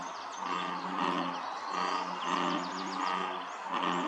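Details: American bullfrogs chorusing at Dellinger's Pond, Quincy, California, on 27 June 2023; a dense, continuous layered chorus with steady low-pitched tones and a broad mid-range hum, plus thin chirps above, possibly birds or insects.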